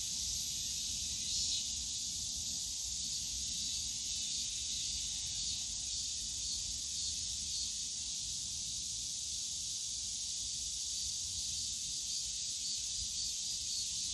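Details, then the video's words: Cicadas in the bamboo forest of Yongsan Family Park on a summer day: a dense, steady high hiss-like drone that holds without a break throughout, with a low rumble of park noise underneath. "용산가족공원 대나무숲 매미소리"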